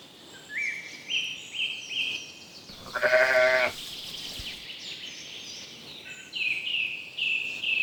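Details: Little lambs grazing in green woodland give a strong, trembling bleat of under a second, while birds sing steadily around it with repeated whistled phrases before and after.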